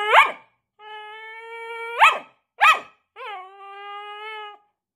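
A Staffordshire Bull Terrier gives sharp barks between long, steady, tuneful howling whines.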